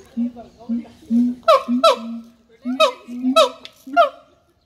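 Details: Deep, resonant hoots from a siamang, each followed by abrupt, falling barks. The pairs come in two quick clusters about a second and a half apart.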